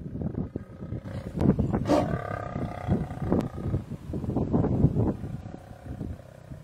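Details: Lion in Kruger, a mother treed by a buffalo herd after running to help her cub chased up a tree; repeated low rough roaring pulses, dense and overlapping, with bellowing from the herd nearby.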